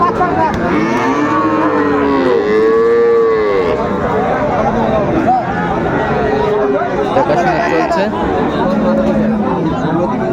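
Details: At Raniganj cattle market in Dinajpur, 2 May 2024, with Friesian and cross-breed bull calves on sale, several cattle low in turn; a strong arched moo near three seconds stands out above chatter and crowd noise.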